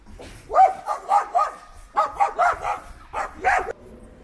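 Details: Stray dog in a city, being calmed and fed; three bursts of quick, yelping barks, each made of two to four short notes, with pauses of about half a second between bursts.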